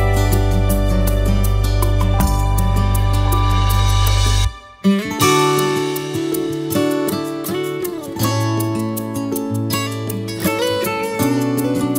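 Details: Strummed and plucked guitar music plays throughout, with a short silent break near the middle before the tune resumes.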